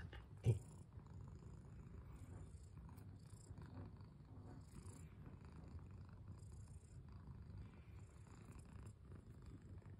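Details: Domestic cat purring in a steady, low continuous rumble lasting the whole stretch, with a single soft knock near the start and faint hiss above.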